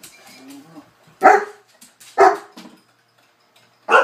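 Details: Newfoundland dogs at play with a cocker spaniel: three loud, harsh barks about a second apart, then a pause before a final bark, with faint low grumbling sounds early on.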